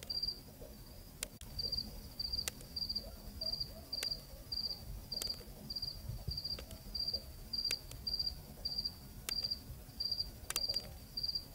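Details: Cricket calling on a cool night in Zambia, recorded on location: high, pulsed chirps repeated about every 0.6 seconds, roughly eighteen in a row, with occasional sharp clicks and a low background rumble.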